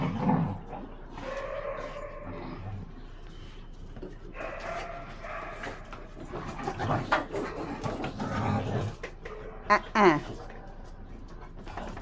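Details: Blue Thai Ridgeback Freya at play with French Bulldog companions: uneven throaty growls and grumbles build in loudness, then a sharp high yip near the end, with panting, scuffling paws and faint human voices.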